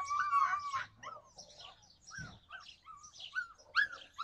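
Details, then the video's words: Yakutian Laika, July 2020: brief high, bending yelps and whines, the first drawn out and loud, then shorter arched notes spaced unevenly, with one dull low thump midway. "Yakutian laika"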